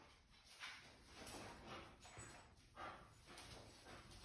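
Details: A Basset Hound puppy and a senior Basset Hound give short, soft yips and whimpers in quick bursts as the puppy confuses the older dog.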